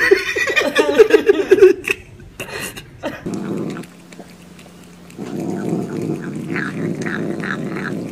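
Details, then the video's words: Cat or kitten vocalizing while eating: a rapid series of harmonic, murmuring 'yum yum' calls in the first two seconds, then chewing and clatter, with background music and some laughter. "面白い猫と子猫を食べながら鳴きながらYUM YUM YUMを言って"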